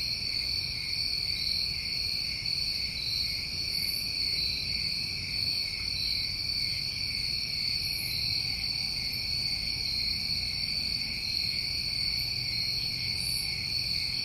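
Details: Summertime cricket chorus from New England: constant piercing ringing in parallel high tones, with brief sizzling bursts above at irregular intervals of a few seconds and a faint low rumble underneath.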